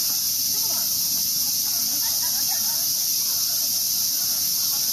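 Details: Cicadas out for the season along a path in Ueno Park, Tokyo, where a boy is catching them; a dense, steady high shrill drone fills the air without pause, with faint voices beneath.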